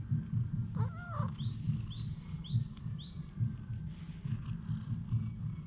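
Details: Wary stray cat opening up to people, filmed with a GoPro HERO8: one short wavering meow, rising then falling, over a steady low rhythmic rumble, with high chirping notes repeated about twice a second.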